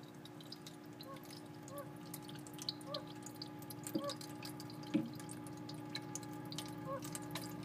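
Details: A male fire-bellied toad, kept indoors, repeats a soft, hollow, slightly rising 'oop' roughly once a second, calling to attract females, with dripping water and a low indoor hum underneath.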